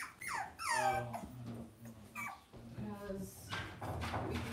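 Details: Cavalier King Charles Spaniel puppies raised indoors in a home puppy pen; a high, falling whine opens the clip, followed by shorter whimpers, with a person talking at the same time.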